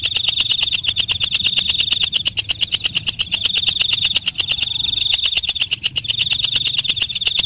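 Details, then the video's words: Night song of the walang kecek, a night grasshopper: metallic ticks, roughly eight each second, over a piercing high drone that stops briefly around the middle and again near the end. "Suara Walang Kecek/ Belalang Malam"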